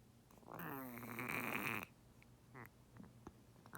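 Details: A sick female turtle, diagnosed with pneumonia and treated with antibiotic injections, gives a long, raspy, wheezing croak as she gasps for breath; she swam with her mouth open and couldn't submerge. Finding: turtle.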